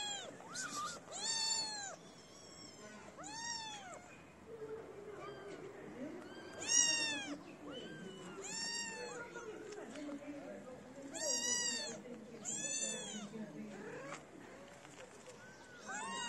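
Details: {'text': 'Several street kittens meowing as they gather around a person feeding feral cats, having left their black-nosed mother; high arched meows with rich harmonics repeat every one to two seconds, overlapping, with faint low murmuring beneath.'}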